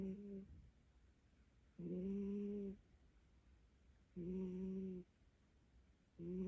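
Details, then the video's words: A cat dozes with its face buried against its owner's leg, giving steady low snores, each about a second long and repeating roughly every two seconds, with quiet breathing gaps between them indoors. "집사 다리에 얼굴 박고 코고는 고양이"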